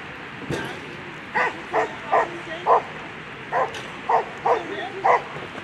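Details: Sharp, clipped barks from German Shepherd Eva v Tjackleger Fährweg during a World Championship agility run on Sunday, about nine barks spaced unevenly over several seconds with short pauses between groups.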